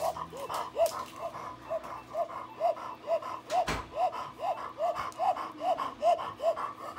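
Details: A female Labrador with laryngeal paralysis makes harsh, rasping breaths about twice a second, the noisy breathing typical of the disease.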